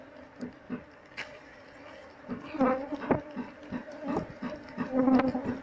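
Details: Honey bee colony nesting inside a wall under a window beam, disturbed with smoke while keepers search for the queen; steady droning hum with a harmonic buzz, broken by clicks and knocks of handling, short bursts of speech.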